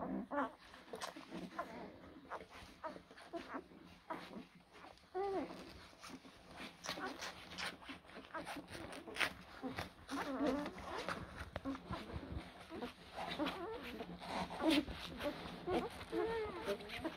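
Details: Blue Great Dane puppies from two litters born in April 2023 let out short rising-and-falling whimpers near five, ten and fifteen seconds, over constant scratching, clicking and shuffling.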